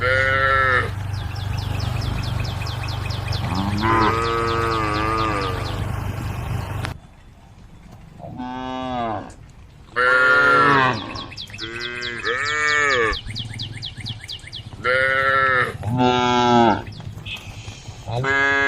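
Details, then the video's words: Domestic female cow, eating grass leaves, calls the herd with repeated deep moos, several strong bellowing calls every second or two with brief pauses, over a low hum and faint high chirping. "पालतू मादा गाय घास के पत्ते खा रही है, मादा गाय के झुण्ड को बुलाने की आवाज आ रही है"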